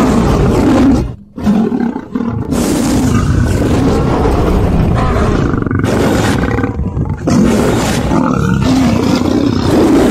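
A Cape lion gives deep, rumbling roars, loud and sustained with brief pauses between bouts.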